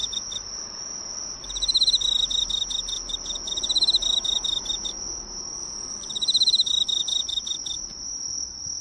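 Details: An Emma field cricket, drawn to a drugstore's lights at night in Japan, sings bright, rolling chirps in bursts over a steady high insect trill.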